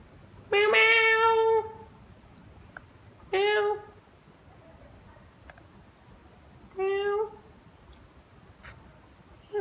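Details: Pet cat, called poor and pitiful, meowing in a quiet room: three drawn-out, wavering meows, the first about a second long and the next two shorter, spaced roughly three seconds apart.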